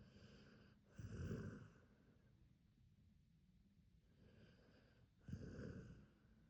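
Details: Hachi, a large Akita dog, snoring while asleep: two loud, rasping snore breaths about four seconds apart, each lasting under a second, with soft, quiet breathing in between.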